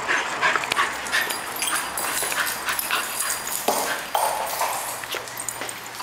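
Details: Excited female bull terrier at home greeting returning owners, bringing her toy; short high whimpers and yips in irregular bursts over broadband rustling and movement noise.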